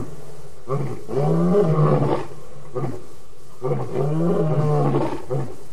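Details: Lion calling at the Djuma Waterhole on an August evening in 2016: deep roars with moaning, strongly harmonic bursts, two long roars around a second each separated by quieter pauses, plus short grunts.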